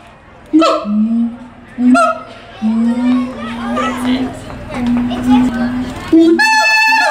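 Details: A caged siamang group at the Tulsa Zoo, 21 December 2017, "caroling": long low humming booms held for a second or more, broken by a few sharp harmonic barks, with a bright ringing bark closing the sequence.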